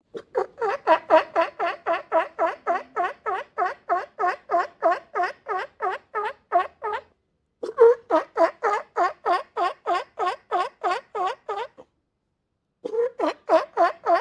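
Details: Rapid, steady sea lion barking on a beach, about four honking barks per second in long even runs, broken by two short pauses, each bark a brief nasal honk.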